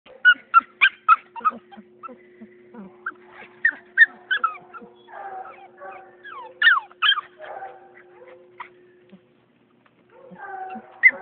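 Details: AKC-registered purebred Beagle puppy giving rapid high whimpers and short yips, several per second, some with sliding pitch, falling quiet briefly near the end before the yelps resume, over a steady low hum.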